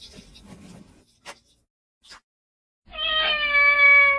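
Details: Domestic cat giving one long, steady, even-pitched meow with a rich, bright tone near the end, after a quiet stretch with a few soft clicks and rustles.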